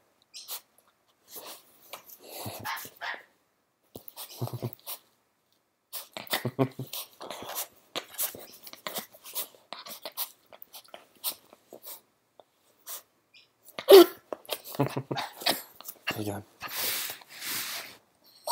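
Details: Pet dog being playful indoors, giving short scattered yips and bursts of sound at irregular intervals, with quiet human voices in the background.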